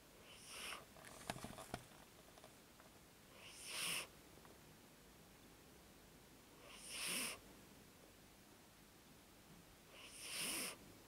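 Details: Elderly 14-year-old cat snoring indoors, soft breathy rasps, each under a second long, returning about every three seconds against a quiet background with a few faint clicks.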